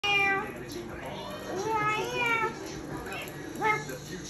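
Long, tonal meows from a Maine Coon cat swell and fall in arching phrases, one after another. A person's voice, also meowing, mingles with the cat's calls throughout.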